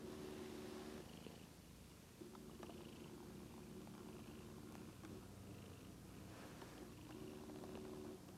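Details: Drowsy domestic kitty's continuous purr, captured with a Lumix GH2 camera, a soft vibrating rumble that swells and fades in long strokes separated by brief gaps, quiet background.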